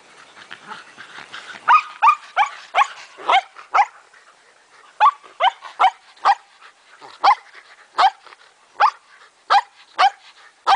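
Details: Shetland Sheepdogs playing with a ball, several dogs including a pregnant female; repeated sharp high barks coming in steady bursts of about two per second, with a short lull midway.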